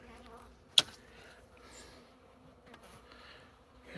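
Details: Honey bees from a well-established colony being cut out of a wall, active about two years; a steady low droning hum with faint overtones, broken by a sharp click and light handling noises.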